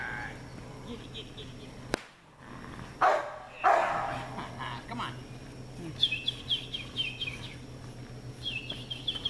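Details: American Bulldog puppies giving two loud barks in quick succession, with a quiet voice before them and thin high chirps from small birds afterwards.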